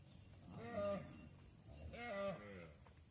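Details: Mother cows entering a barn while their calves remain outside: two bawling moos about a second apart, each with a rising-then-falling tone, against low barn background noise.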